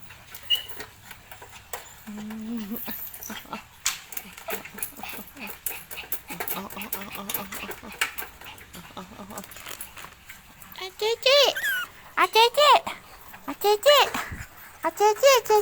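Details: Pit Bull dog in Thailand, a specially controlled breed, letting out a burst of short, high, wavering whimpers and yips in the final seconds, after a stretch of faint clicks, people talking and a brief tonal hum.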